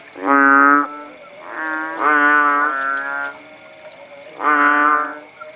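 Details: Kodok bangkong frogs in the Indonesian countryside at Paya Bujok Tunong, Langsa, Aceh, recorded after the rain had stopped: loud, nasal, drawn-out moaning calls about half a second long, with softer overlapping calls between them. A steady high insect drone runs throughout.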